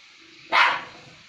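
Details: A single short, harsh bark from one of two dogs squabbling over food, rising sharply and fading within a quarter second.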